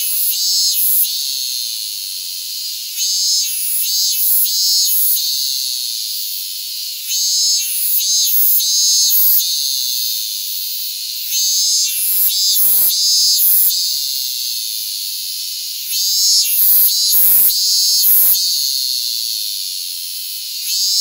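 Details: Hyalessa maculaticollis fuscata cicada, held on a person's hand in Japan on August 8, 2022, giving a loud, continuous, shrill high-pitched buzzing drone with rhythmic pulsing surges that briefly break and resume every few seconds.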